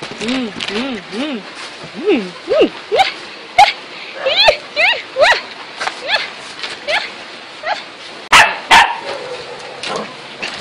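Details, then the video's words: Playful dogs chasing around, uttering a run of short arched yelps and whimpers, each rising then dropping in pitch and repeated roughly every half second, with a couple of loud clattering bangs near the end. "Dog Barking"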